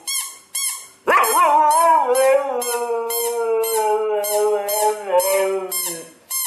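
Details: Nyockyee, a pet Siberian Husky, responds to a played sound with one long, steady howl lasting about five seconds that dips slightly in pitch, while short, bright repeated beeps continue faintly behind it.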